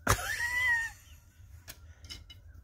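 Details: Sweet Pea, a chocolate tabby cat, meows loudly to wake her owner and get attention, a habit that began when she clawed open closed shutters. One short, steady tonal meow, slightly falling, lasts under a second, followed by a few soft taps.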